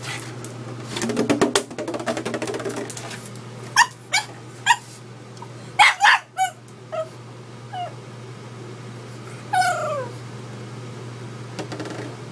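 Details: Indoors, Edward the pug barks at a gallon water bottle: rustling at first, then a run of short clipped barks and one long whining cry near ten seconds, over a constant low hum.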